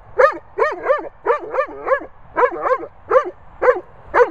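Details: Weimaraner Bella Boo threatening Labrador Bernie over his ball: about ten short, tonal, arching barks in quick succession, each rising then dropping in pitch, with a quiet background.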